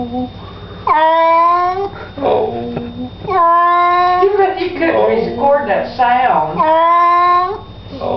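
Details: Cat complaining during a bath indoors in a small room: four long, wailing, harmonic meows, each about a second long, some bending downward, with a human voice speaking softly in between.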